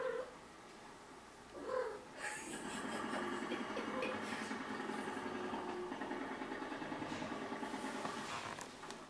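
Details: Shelter-adopted female cat Burcia in her first heat at six months, stretching and purring; after a brief meow, a loud, steady rhythmic purr fills the rest of the recording.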